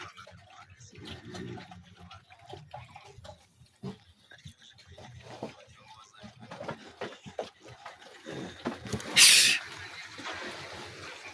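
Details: Pietrain pigs kept for breeding: soft scattered grunts and snuffles through most of the recording, then one loud, harsh, high squeal near the end, with a person talking in the background.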